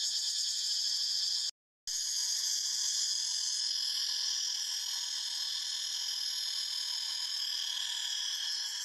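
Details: Forest cicadas produce a continuous shrill, buzzing chorus with a throbbing pulse around four beats per second, interrupted by a short silent break near the start, then resuming unchanged.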